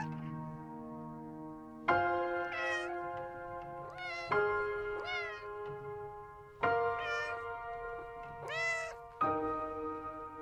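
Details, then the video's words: Four separate cat meows spaced a couple of seconds apart, each arching up and dropping, heard over soft background music that shifts chords several times. "Sounds of farm animals: Cow, sheep, cat, dog, horse, rabbit, animal sounds"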